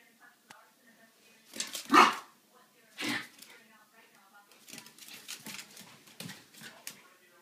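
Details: Two Schipperke dogs, Snowflake and Skipper, playing at 4 am: a loud sharp bark near two seconds and another around three, then a run of quieter yips and play noises, with a person speaking.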